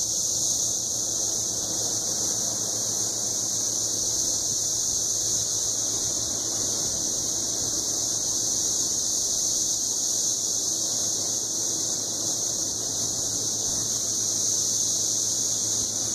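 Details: Cassin's 17-year cicadas, Magicicada cassini, males gathered in Kansas forest trees in 2015, chorusing together to attract females; a loud, steady high-pitched droning buzz holds throughout with no breaks, faint low hum beneath.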